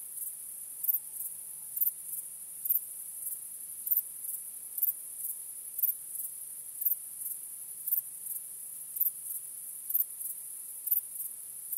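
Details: Crickets chirping on a starry night: a steady, very high shrill trill with brighter pulses about once a second, quiet overall, over a faint low hum and a brief soft tone near the start.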